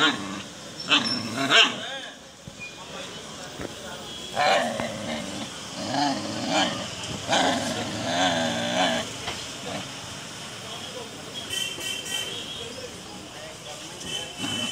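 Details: Japanese Shiba Inu giving drawn-out, wavering harmonic whines and growl-like cries in several bursts, loudest in the middle stretch, mixed with people talking nearby throughout.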